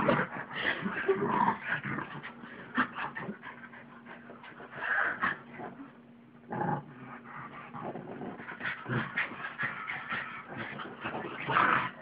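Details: Pug and mutt wrestling playfully on a bed at home, trading low growls, whimpers and yips in busy bursts, with a short quieter pause midway and a faint background hum.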